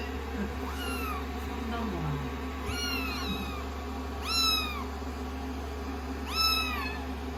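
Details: Rescued kittens sitting on a lap after a shampoo, being dried with a hair dryer indoors on day sixteen of their growth record; four clear, high meows arch up then fall, about one every two seconds, over a constant dryer hum and a soft voice.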